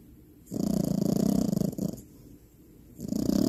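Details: Sleeping French bulldog puppy Finn snores loudly: a fluttering, vibrating low snore of about a second and a half, a softer breath, then another rattling snore beginning, in a quiet indoor room.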